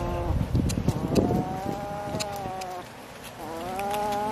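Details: Pet cat meowing while fed fish: two prolonged, tonal mews split by a short pause, the second rising slightly, with scraping and tapping noises early on and a low hum beneath.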